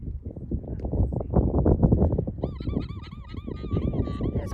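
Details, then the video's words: An alpaca on a farm gives a shrill, rapidly repeated, wavering alarm call warning the herd of a possible threat, while mothers and babies drop back and all the alpacas stay on high alert, ready to run. "Alpaca sounds the Alarm"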